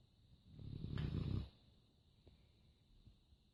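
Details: A Labrador lets out one deep, rumbling snore lasting about a second, then settles into soft, quiet breathing over a faint steady high hum.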